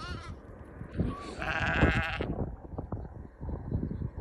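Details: Lamb in Wales, UK, sprinting toward its mother on an early June morning beside country roads; one drawn-out quavering bleat stands out amid steady wind buffeting and low rumbling.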